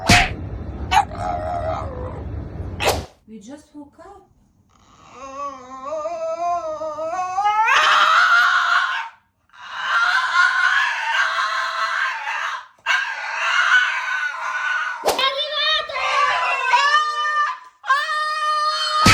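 French Bulldog howling in long, wavering, rising and falling tones after a burst of voices.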